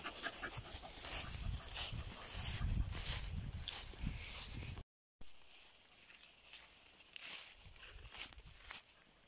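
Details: Panting Jagdterrier on an autumn mushroom-picking outing: fast, fairly steady breathy puffs about three per second, with low rumbling handling noise and a brief cut midway.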